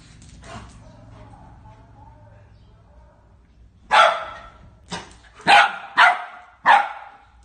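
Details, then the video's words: Belgian Malinois confronting a small-breed dog; after a few seconds of quiet background rustle, a run of five loud, harsh, single barks arrives in quick, uneven succession. "belgian malinois vs small breed"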